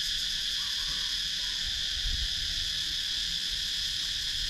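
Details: Steady high-pitched cicada drone from a wooded countryside area of Sakon Nakhon, Thailand, captured with a GoPro Hero 9; an unbroken shrill hiss with no pauses and only faint low background ambience.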